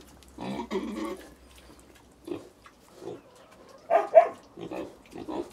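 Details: Little pigs in China making a drawn-out harmonic squeal, then scattered short grunts and two sharp, loud squeaks with a few softer grunts after.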